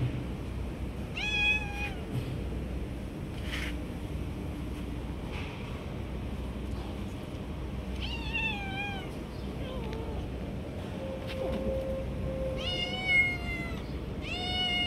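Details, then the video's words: Stray cats competing for food, jumping and snatching from each other; several short harmonic meows come in bursts near the start, middle and end, some rising then falling, over steady low traffic-like hum. "Beautiful Cats Jumping and Fighting for Food"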